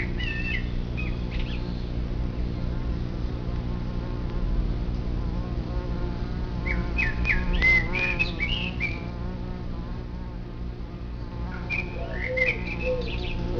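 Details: A ground nest of bumblebees, a colony of 50 to 200 bees, gives a continuous low, wavering drone of many overlapping wings. Short bright bird chirps sound over it midway and near the end.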